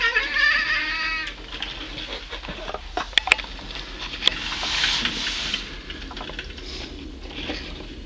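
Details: Caleb the pet cat, nicknamed the Lubz, talks to birds, recorded 1.25.09. One loud, harmonic meow at the start, about a second long and slightly wavering, then sharp clicks and rustling indoor noise.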